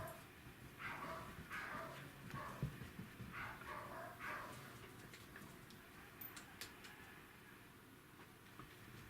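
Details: Welsh Corgi playing at chasing a laser dot, 28 April 2019: a run of soft, breathy yips and whiny barks about every half second for five seconds, then quieter scuffling and a steady low hum.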